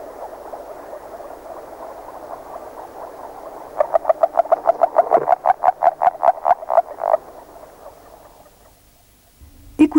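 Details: An agile frog, which sings early in the year, gives a rapid run of about sixteen clucking notes lasting roughly three seconds over a faint chorus. The notes fade into near silence before a brief final sound.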